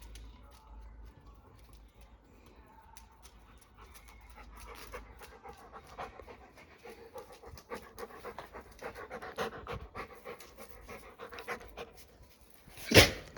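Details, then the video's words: Labrador Retriever, a pet dog, drinking water indoors: quick rhythmic wet strokes that start softly and grow denser and louder after about four seconds, ending in one sharp loud knock. "Терапія лабрадором. ASMR: собака п’є воду та слухається"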